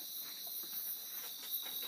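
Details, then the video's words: Insects, possibly crickets, chirping on a cool evening in Okinawa, Japan: a faint, steady, high-pitched continuous trill with no other clear sounds. "沖縄、虫の音聞こえますかね、コオロギですかね、何でしょうね、とっても気持ちがいいです。"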